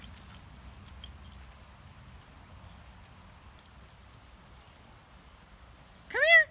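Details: Shih Tzu playing with toys outdoors during the summer or fall of 2018, giving a single short, high, arching yelp near the end after several seconds of quiet rustling and faint background noise.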